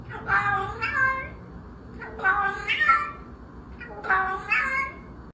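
A domestic cat makes a run of odd, strained meows, each a rich harmonic cry that rises and falls with little trills. Three such calls come about two seconds apart in a quiet room.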